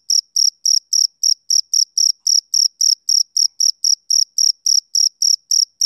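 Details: A male cricket on a summer evening gives quick, high, ringing chirps in a steady train of about four per second, uniform in strength, with nothing else audible.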